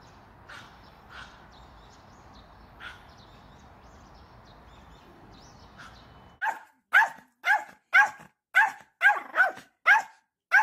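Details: Cute pet dog in Korea, angry, starting with a few faint distant yaps before breaking into a loud run of about eight sharp, evenly spaced barks, roughly two per second.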